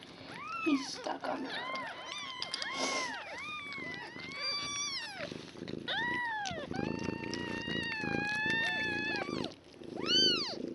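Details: Newborn foster kittens, one day old, five of them with their mother Nala, indoors, 26 February 2015; loud sustained wavering mews, one held several seconds, plus shorter arched cries and faint human voice.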